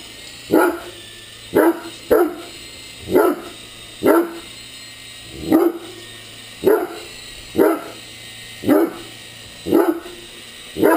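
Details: Great Dane playing with an RC helicopter, barking in strong single woofs about once a second, eleven barks over the stretch, over a steady high mechanical whine from the toy.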